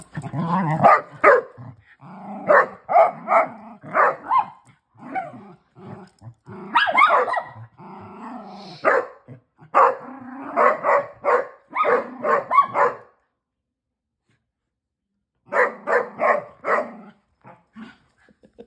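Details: Female Basset Hound during rough play with her big sister and brothers; dense strings of squeaky barks and growls, then a two-second lull before a final burst of yaps.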